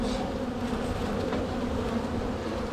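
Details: Honey bees from a strong spring colony buzz as frames with swarm cells are checked during a hive split. The hum is dense and even, low-pitched with a brighter overtone, and carries no other clear sounds.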